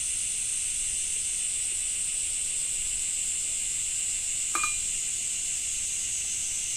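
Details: Cicadas singing in summer in Japan with rain: a steady, dense, high shimmering drone in two bright bands, unbroken throughout, with one sharp click or drip near the end.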